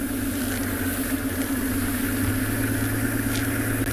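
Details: A steady idling vehicle engine hums low throughout, with no animal calls heard.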